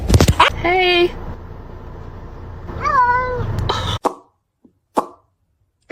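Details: Domestic cat giving two drawn-out, clearly pitched meows, each bending down and then levelling off, about two seconds apart, with a low room hum beneath; sharp thumps and clicks follow in the quieter second half, with brief human speech nearby.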